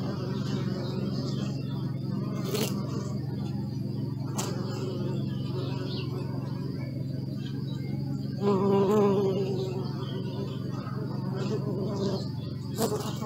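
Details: Continuous hum of many bees, a deep even drone throughout, with a nearby bee passing loudly and brightly around the ninth second, plus a few sharp clicks and faint bird notes.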